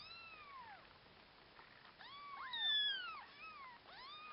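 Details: Several orphaned kittens mewing in overlapping, arched high calls, some sliding downward, a husky puppy named Akasha helping with them nearby.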